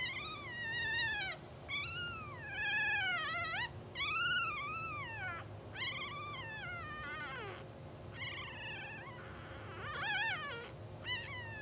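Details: Two-hour-old English Bulldog puppies of a blue sable litter, twitching and sleeping on a live puppy cam, give a near-continuous run of high, wavering, rising-and-falling whimpers that overlap one another, over a steady low electrical hum.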